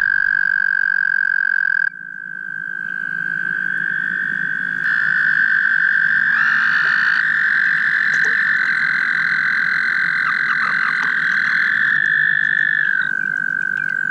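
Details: Several mating toads along the Guildwood waterfront trill together in long, sustained, high buzzing notes that overlap and layer, one carrying on steadily after the others fade.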